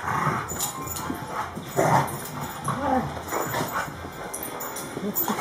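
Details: Play-fighting pair of dogs, a German Short-haired Pointer called Champ and a Cane Corso called Kobe, trade low rumbling growls and short whimpers amid scuffling, with one louder snarl just before the midpoint.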